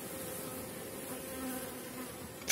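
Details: Honey bees at an apiary where every hive sits on 4.9 mm cell comb, colonies strong at the close of the season; a soft, even hum of many bees, ending in a sudden loud rustling knock.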